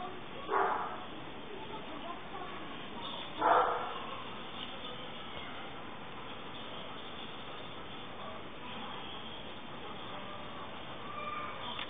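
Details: Canela, a pet dog learning to climb the stairs who then cannot get back down, gives two short sharp barks about three seconds apart over a steady low background hiss, then stays quiet.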